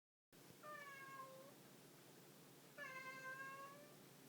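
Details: Domestic cat giving two drawn-out, clear meows about two seconds apart. Each is a steady, slightly falling tone that lasts nearly a second against a quiet indoor hiss.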